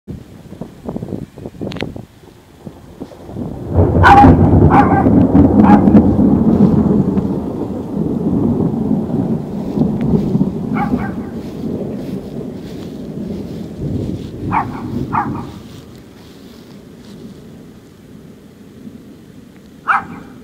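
A Maltese dog gives sharp, scattered barks against a long, deep roll of thunder.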